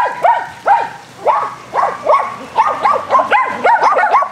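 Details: Four dogs named Athena, Brando, Rocko and Charlie romp at fetch on a spring day, giving loud, slightly hoarse barks about twice a second, overlapping toward the end.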